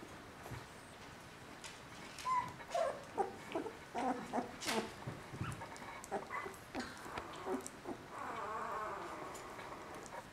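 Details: Three-week-old Border Collie puppies whimpering softly: a run of short, thin squeaks and whines repeated about twice a second, fading into a longer, lower murmur near the end, in a quiet room.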